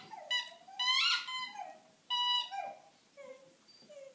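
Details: Five-month-old Dalmatian puppy with her squeaky bunny toy, giving quieter wavering howls and whimpers in a small room, a strong rising cry near the start, then fading, thinner whines.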